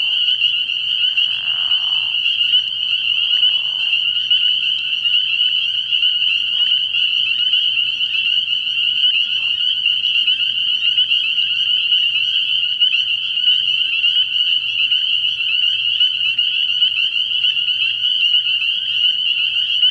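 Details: At night early in the year, a frog pond rings with massed spring peepers: a continuous high-pitched shrilling of overlapping peeps, steady in loudness, with a few short lower sounds near the start and a faint low drone.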